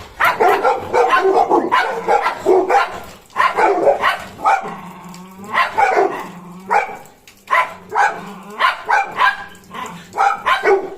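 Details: Puppy barking from Golden Retriever Cornell, who follows German Shepherd Bozo around: clustered rapid barks, then scattered single yips, with a low droning tone beneath the quieter middle stretch.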